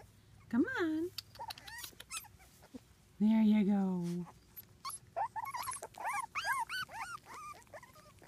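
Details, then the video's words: Wheaten Terrier puppies adventuring outdoors: short squeaky whimpers early, a longer lower drawn-out whine, then a quick run of high arched yelps near the end, with a person's voice nearby. "wheaten terrier puppies"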